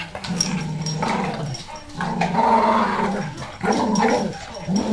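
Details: Male Staffordshire bull terrier play growling while holding onto a ball and tugging against a person's finger; low rumbling growls in long rolling bouts of about one to two seconds with short gaps.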